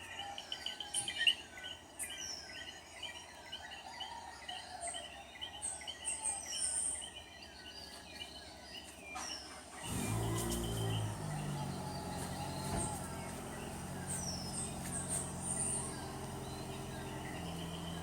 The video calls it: Love the sound of the Coqui...-SiriArevir-